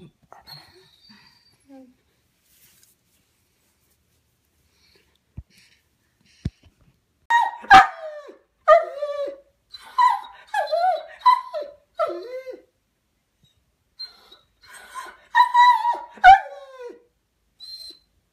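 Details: Domestic dog left alone after its brother went to the vet, distressed by the separation; silence for seven seconds, then bursts of high, wavering whines and yelps with falling pitch, clustered between seven and thirteen seconds and again near fifteen to seventeen.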